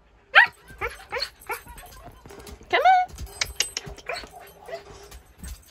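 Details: Husky puppy chased by a shih tzu during play while being coaxed to jump onto a bed: a series of short, high, rising yips and whiny squeals, one longer bent whine near the middle, with a person softly saying "come on".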